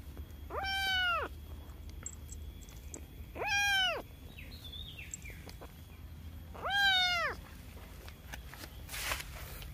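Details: Cute cat giving three well-spaced, arched meows about three seconds apart, with faint high chirping between and a brief noisy rustle near the end.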